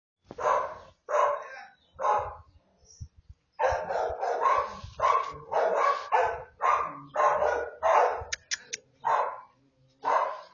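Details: American Bully puppy, offered for sale in Oaxaca, Mexico, giving a rapid series of short, sharp yapping barks, about a dozen bursts with brief pauses, with faint low thumps beneath.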